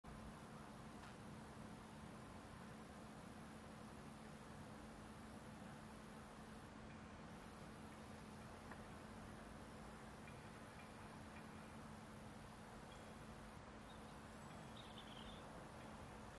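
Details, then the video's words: Roesel's bush-cricket calling at Rockford Fields LNR, Hull, a thin, very high, continuous buzzing whirr over a low rumbling background. "Roesel's bush-cricket calling at Rockford Fields LNR, Hull"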